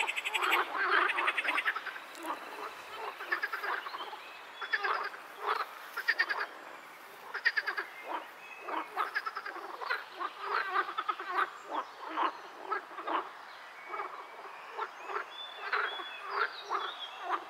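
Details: Several pool frogs (Teichfrosch, edible frog) croak together in rapid, rattling bursts that overlap into a busy chorus.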